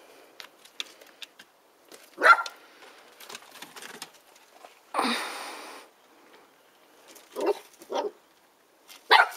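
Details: Two-month-old red Border Collie puppy, about four kilos, named Fly To Bliss, meeting an eight-kilo giant Papillon rabbit called Cacahuète; a few short sharp yaps and barks spaced across the recording with a brief rushing noise midway.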